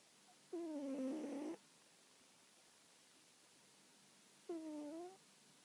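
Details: Sleeping domestic cat, described as heavyset like a sumo wrestler, giving old-man-like snores: a long, steady, buzzy hum followed after a pause by a shorter one, the room otherwise silent.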